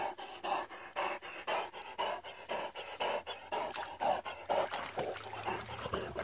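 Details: A struggling Great Dane pants hard, giving quick harsh in-and-out breaths at about two per second, fairly regular, each a noisy airy burst with no voiced tone.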